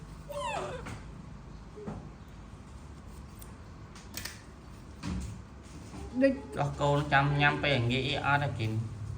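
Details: Baby monkey throwing a tantrum as its mother leaves: a run of harsh, wavering whining cries with rich overtones, building into a rapid burst in the last few seconds, after quieter scattered squeaks and background rustling.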